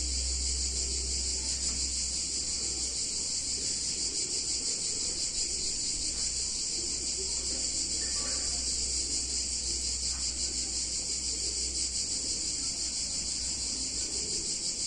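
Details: Cicadas in an Italian town on a hot summer day: a dense, steady, high-pitched buzzing chorus that holds without a break, with a faint shimmering pulse and a low hum underneath.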